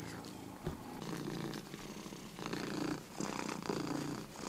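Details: Drowsy pet cat purring at rest, a soft low rumble broken by brief pauses and small louder bursts near the end, with light background noise.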